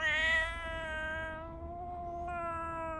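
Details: Domestic tabby cat Riri calling to its owner in a morning hello: a continuous, level meow held for about three seconds, slightly brighter at the start, with a brief break in tone near the end; indoors, calm background.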